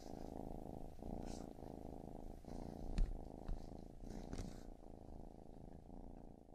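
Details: Deep, soft purring of a baby kitten, a steady low buzz pulsing with each breath, plus occasional small taps and rustles.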